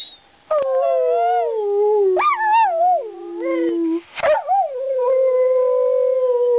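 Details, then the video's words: Talkative dog Ireland sings in nearly continuous howling, with warbling rises, a long low held note, a brief break, then another steady drawn-out tone. "Ireland the Singing/Talking DOG"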